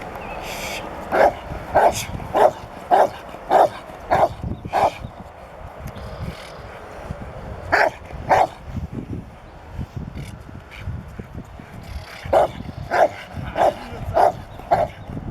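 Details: Rottweiler, a learning dog beginning protection training at a Rottweiler club, gives rhythmic barks about twice a second in two runs of six and five, with a cluster in between and quiet gaps.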